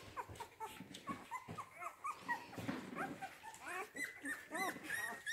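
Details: Rhodesian Ridgeback puppies of a C litter born 8 June 2019 at a kennel, a chorus of overlapping high, thin whimpers and squeaks with rising and falling tones, many pups calling at once, fairly quiet.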